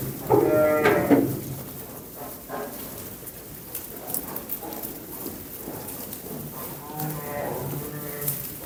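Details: Lambs calling with a short, tremulous bleat near the start, then fainter wavering bleats later amid a noisy, rustling background.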